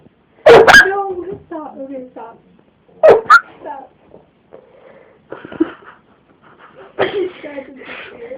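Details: A dog kept indoors in a home barks in response to a person's odd vocal noises; loud sharp barks near the start and again around three seconds, followed by softer whines and the person's strange sounds.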